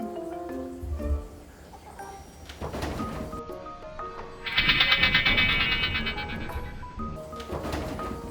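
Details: Light mallet-percussion music with a brighter shimmering passage; no animal voice stands out.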